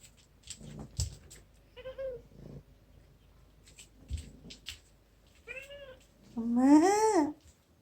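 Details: House cat Aegi, formerly one of four wild kittens, gives soft, faint chirps over light rustling and taps, ending in one loud, drawn-out arching meow.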